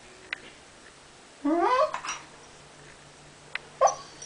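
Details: Pembroke Welsh Corgi whining when its owner won't play ball. A rising, strained harmonic whine-yelp, then a brief quieter squeal near the end, with faint clicks in between.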